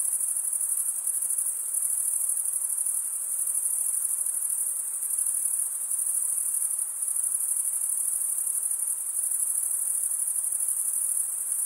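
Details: Crickets, chirping males stridulating by rubbing one wing's scraper across the toothed vein of the other, make a steady, unbroken high-pitched trill that holds a dense, shimmering band with slight pulsing throughout; no other sounds intrude.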